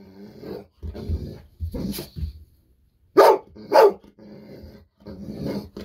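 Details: Bis, a Golden Retriever, excited and demanding a fish-sausage snack: softer scuffling and muffled yelps, then two loud, punchy barks in quick succession midway, followed by quieter rustling.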